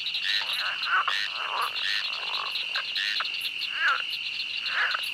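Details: Frogs chorus in a swamp at night with quacking, duck-like croaks over a steady high insect drone.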